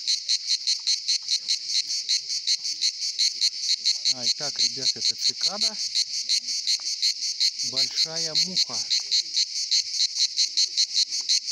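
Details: Singing cicadas at the Pitsunda resort in Abkhazia during summer: a loud, rasping, high buzz pulsing steadily about two and a half times per second, with a man talking briefly over it.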